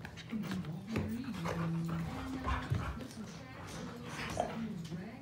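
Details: Siberian Husky puppy play-fighting indoors with its older sister, giving short whimpers, yips and panting bursts, while a person talks steadily throughout.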